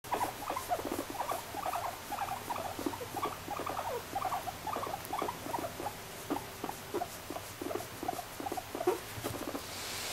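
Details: Guinea pig making a long run of short, soft pulsed notes, several per second, steady and rhythmic for about ten seconds over a constant low background hiss.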